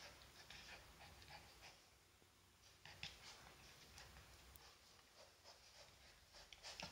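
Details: Elias, an 8-week-old Swiss White Shepherd puppy born 2 July 2019, on his first day at a new home during playtime, pants quietly in soft, quick breathy bursts about twice a second, with faint rustling.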